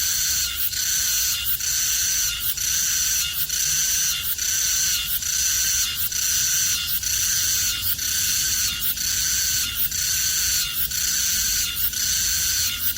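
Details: Cicada calling in Korea: a sharp high buzz chopped into even, rhythmic bursts, about one each second, repeated steadily over thirteen seconds with no other clear sounds.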